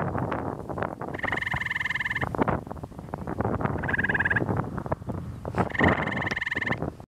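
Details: Singing to a second frog, a Gray tree frog calls from wet ground on Ontario's Carden Alvar, 26 May 2013, giving three rapid pulsed trills, each about a second long, amid gusty wind noise.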